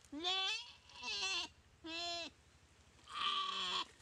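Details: Paralysed goat under attack by a Komodo dragon in a dry riverbed at Komodo Village; four hoarse, quavering bleats of about half a second each, spaced roughly a second apart, over a constant low hum.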